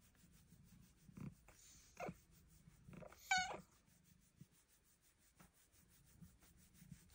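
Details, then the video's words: Indoor pet cat giving a single short, bright meow with stacked overtones in the middle, amid soft rustling and small bumps. "Kitty with cute meows"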